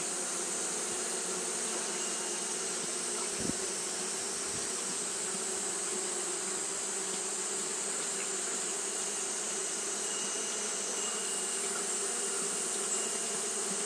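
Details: Japanese honey bees fanning in hot weather make an unbroken buzzing drone with a clear band near 400 and a faint tone near 3k, plus one soft thump early on.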